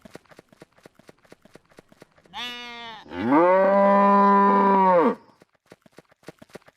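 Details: Domestic farm cow lowing: a short moo followed by a long, steady, drawn-out moo of about two seconds, with rhythmic ticking clicks before and after.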